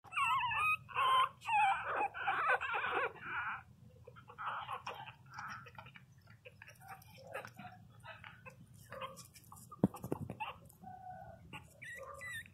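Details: Pinscher puppies, 22 days old, crying loudly indoors: a burst of high, wavering whines with stacked harmonics in the first few seconds, then quieter scattered whimpers and soft rustling.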